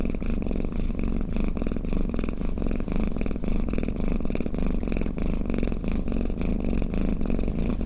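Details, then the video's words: Low, rattling purr of a snoring house cat, dense rapid throbs forming one unbroken rumble with gentle breath-linked surges, heard alone at close range. "เสียงแมวคราง เสียงกรนของแมว | snoring cat"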